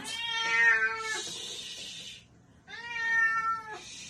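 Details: Two long, loud meows from a baby cat, each held for about a second and slightly falling at the end. A short pause separates them, and a soft hissing noise follows each call.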